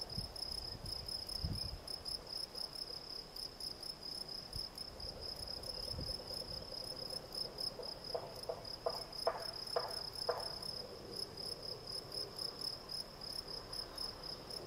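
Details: Field cricket, Gryllus campestris, keeps up a bright, pulsing trill without pause, while a few low thumps and a short series of quick tonal clicks sound briefly near the middle.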